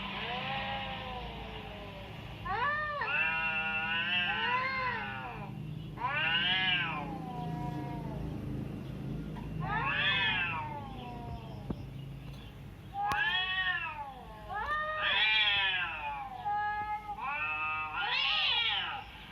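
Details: Domestic cat meowing, played to a cat to provoke its reaction: a string of about eight drawn-out, harmonic meows, each rising then falling, spaced one to three seconds apart over a soft low hum.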